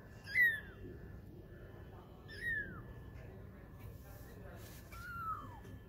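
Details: Twenty-day-old kittens playing and learning to walk, three thin high meows, each sliding downward, spaced about two seconds apart, over a quiet background.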